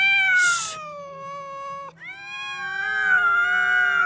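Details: Two domestic cats quarrelling on meeting, one seemingly afraid with tail tucked: long drawn-out harmonic yowls, a brief noisy burst early, a short break near two seconds, then a rising, sustained wail.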